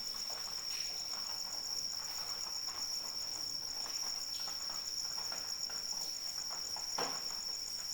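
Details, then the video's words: Cricket singing during rain: a high, even, ringing trill that runs without pause and carries a rapid pulsed overtone, against gentle rain patter with occasional sharp splashes. "Suara Hujan dan Jangkrik Pengantar Tidur"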